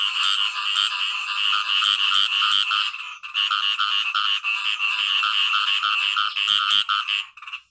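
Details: Nature sounds of a Khiat I-mo frog: nearly continuous, dense, grating croaking with a rough buzzy texture, barely interrupted across the whole stretch.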